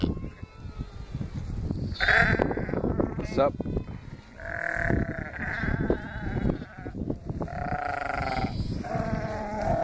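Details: Lambs meeting their Akbash guard dog for the first day; drawn-out, shaky bleats rise out of a background of talking people, with a longer bleat midway and another near the end.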